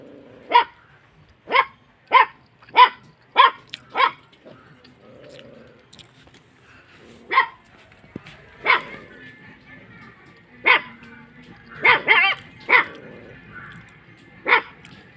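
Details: Kattaikaal landrace dog barking while guarding, a farm setting: sharp loud barks in a quick run of six over four seconds, then spaced single barks and a cluster near twelve seconds, with faint background noise between.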